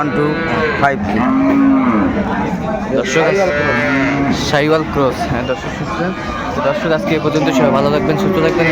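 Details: Lowing at Aftabganj livestock market, Dinajpur, on 25 May 2024, where cows with calves are on sale: a short, rounded moo early on, then further scattered bellows from several animals over a busy, noisy crowd.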